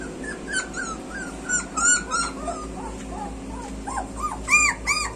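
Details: Street puppies whimper and yip with high, bent, arching cries, several animals overlapping, with sharper squeals building near the end over a low background hum.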